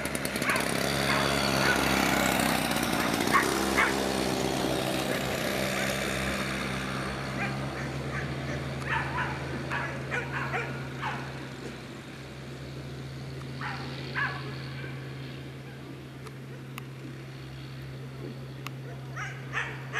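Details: Afghan Hounds at the unofficial Makkarajuoksut race in Tampere, season finale on 2 October 2016; sharp barks scattered irregularly through the second half after a loud, dense opening stretch, over a steady low mechanical hum.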